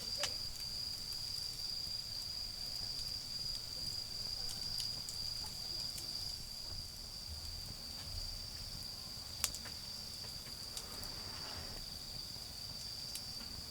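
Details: Garden bonfire setting with autumn insects singing a steady, unbroken high ringing trill; scattered wood crackles and a faint low rumble accompany it.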